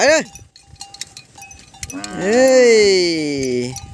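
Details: A calf separated from its mother gives a short rising-falling cry, then after a pause a long drawn-out bawl that slowly sinks in pitch and fades.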